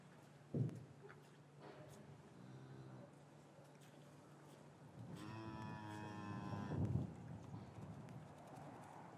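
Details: Cattle in a traditional English farm yard on a winter afternoon, calves separated from their mothers; a short low moo near three seconds, then a long loud harmonic-rich moo from about five to seven seconds, with a thump and faint yard rustling.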